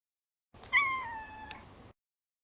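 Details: Maro, a neutered male Maine Coon pet cat, gives a single meow that starts high and slides gradually lower over about a second, ending with a faint click.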